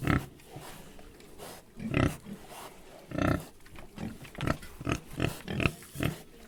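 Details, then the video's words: Three pigs giving rough, snorting grunts, at first spaced about a second apart, then quickening into a string of short bursts near the end. "Three Pigs"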